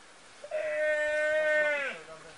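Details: Calf screaming while being eaten alive by Komodo dragons during a live feeding; a single long, strained bleat-like cry with a steady harmonic tone lasting about one and a half seconds, dropping in pitch at the end.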